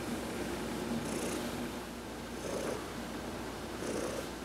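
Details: Massaged while lying in the sun on November 19, 2020, the pet cat Heidi gives a low, continuous purr that swells slightly in places, with a few brief faint high-pitched rustles.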